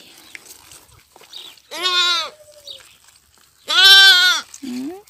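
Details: Rejected goat kids being bottle-fed, giving two loud, nasal, wavering bleats about two seconds apart, each lasting around half a second, with a short rising squeak after the second.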